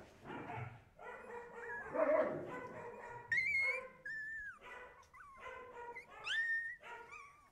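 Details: Siberian Husky puppies giving a chorus of high, tonal whines and yelping cries, several voices overlapping, with sliding, rising and falling wails and short squeaky yips that come in bursts through the recording.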